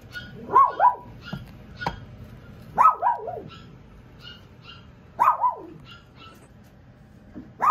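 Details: Young female Pomeranian puppy, born at a breeder's shop, giving short high yappy barks in pairs, each pair a quick double yip, repeated about every two and a half seconds over a quiet indoor background.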